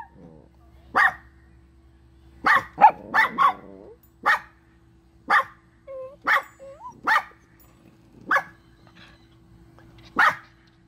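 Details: Chihuahuas barking, whether angry, happy or crying; about a dozen short, crisp, high yaps, some in quick doubles, with brief whining notes in between.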